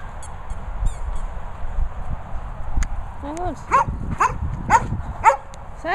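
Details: German Shepherds Sophy and Toby, with their mascot Ted, at a training and boarding kennels in Worcestershire countryside; after a quiet, rustling start, high arched whining yelps rise and fall about twice a second, with a person's voice nearby.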